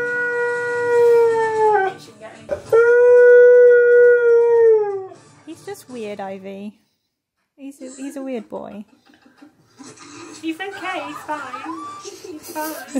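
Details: Siberian Husky singing randomly, startling another dog named Ivy indoors: long steady harmonic howls, the first ending around two seconds, a second sustained howl to five seconds, then wavering yodels and broken talky vocalisations later, with a person speaking.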